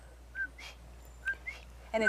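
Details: Puerto Rican coqui from the Caribbean National Forest rain forest in Puerto Rico, giving two clear two-note calls, each a short lower whistle followed by a higher upward note, about a second apart, with a burst of speech at the end.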